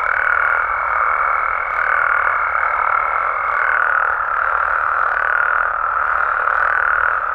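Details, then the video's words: Dense night chorus of frogs and toads in Mexico, steady croaking with faint regular pulses about once a second, plus a sustained high tone that cuts off near the midpoint. "Mexican Frogs & Toads Sounds"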